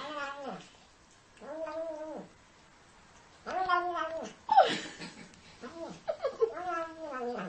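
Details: Siamese cat giving a series of drawn-out, rising-then-falling meows, four or five in about seven seconds, the later ones overlapping with a person talking.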